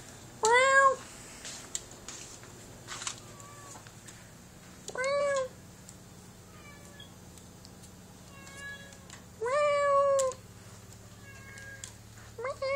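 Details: Two pet cats, one held in arms, talking to each other indoors: clear rising-falling meows come in bursts about every four to five seconds, with softer chirps and short mews in between and a low steady hum.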